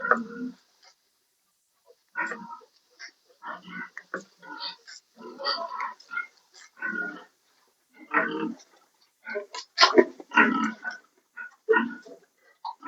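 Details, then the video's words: Sow not coming into heat, giving a run of short, rough grunts and oinks in uneven bursts over about thirteen seconds, with brief quiet gaps between them. "Inahing baboy na hindi naglandi"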